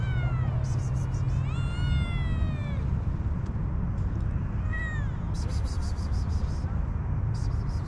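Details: Homeless, hungry cats and kittens searching garbage for food; several high, rising-then-falling meows over steady low traffic rumble, with bursts of hissy broadband noise and a person's voice.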